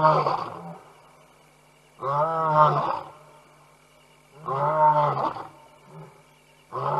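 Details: Mighty nighttime roars from lions at the Tembe Elephant Park water hole, picked up by a live camera in September 2022; repeated heavy, moaning roar bursts about every two and a half seconds, with brief grunts between.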